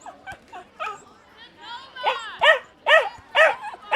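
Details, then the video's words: Dog or puppy giving higher, tonal yelping barks, soft and scattered at first, then a rising whine and four loud, ringing barks at regular half-second intervals. "Som de Cachorro e Cachorrinhos Latindo"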